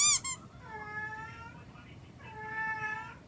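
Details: Domestic cat indoors giving a dissatisfied, anxious cry, per a veterinarian: a short sharp squeak, then two drawn-out harmonic meows, the second falling, dipping and rising slightly at the end.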